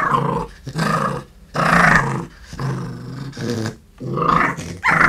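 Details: Red fox cub, eight months old and large, in London, U.K., growling a threat at close range: loud, harsh, throaty bursts of about a second each, separated by short breathy pauses.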